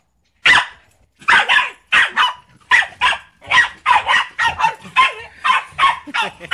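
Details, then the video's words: Male Pembroke Welsh Corgi, a pet dog, goes wild as someone moves the trash bin, as he does every time. After a brief silence come about eleven loud, sharp barks in quick, uneven succession. "This is how my Corgi reacts to someone moving the trash bin (he goes INSANE)"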